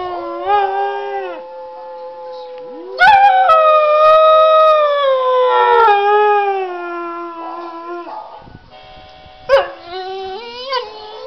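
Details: Pet dog howling along with a laptop: a held tonal howl, then a louder drawn-out howl that slowly falls in pitch over about five seconds, and a fresh rising howl near the end after a brief pause.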